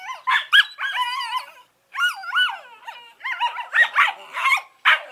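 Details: Eleven-week-old Collie pups Norris and Amica producing a long run of warbling, wavering whines that rise and fall, broken by quick yips, busy and continuous like chatter.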